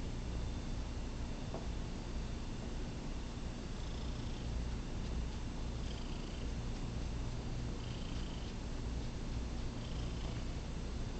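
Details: Indoor cat purring during a recording session while wanting to be petted; a deep, continuous rumbling purr runs steadily throughout, with faint higher scratching sounds now and then.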